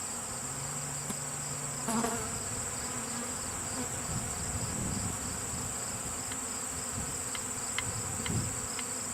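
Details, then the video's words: Active honeybee swarm during removal from a lilac bush gives an even, low buzzing hum, broken by a brief low tone early on, a few knocks and faint ticking sounds near the end. "bee swarm"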